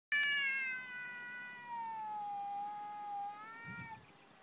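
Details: Domestic cat "talking": one long, clear, drawn-out meow lasting about four seconds, starting higher, sliding gradually lower and wavering slightly, with a faint soft thump near the end.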